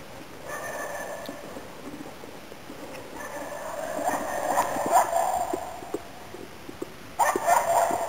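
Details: Finnish Spitz named Nella, autumn 2010, working at Inari, Finland, hunting waterfowl and game birds; a few distant, sharp bursting barks around five and seven seconds over steady background hiss and a faint tonal hum.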